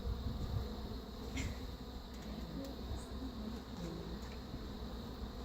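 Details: Colony hum from a hive of feral swarm bees, defensive and partly Africanized, as a new Italian queen is installed; a continuous low droning buzz with faint wavering tones and brief higher clicks.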